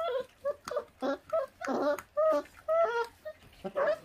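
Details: Feral dog puppy in Korea, one of a litter whose feral mother gave birth and does not care for them, eating; high, tonal whines and yelps come in short bursts every half second or so, sometimes overlapping, in a small indoor space.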